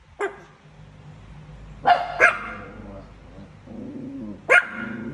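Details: A pet Chihuahua barks at a cat: a handful of sharp, high yaps, two in quick succession midway, mixed with a woman talking in Thai.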